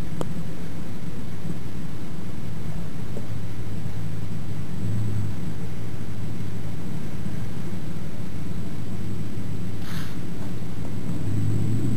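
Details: Steady low vehicle rumble with broadband noise and a brief hiss near ten seconds; no animal sound.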